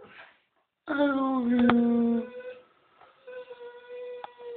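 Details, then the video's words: Tyson, a pet Staffordshire Bull Terrier, 'says I love you' indoors: a drawn-out tonal moan, slightly falling and lasting over a second, then a quieter, higher, sustained whine-like note. "Tyson loves me and says it"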